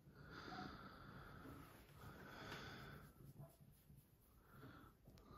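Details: Pet cat Pebbles, a female, vocal in the morning while demanding her breakfast indoors: two long, steady, tonal meows, each over a second, then a shorter meow near the end, with a low background hum.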